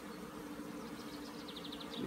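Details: Apiary honey bees taking to the air once fine weather returned after long rains, 15 April 2016; a constant hum runs beneath a quick series of repeated high chirping bird notes.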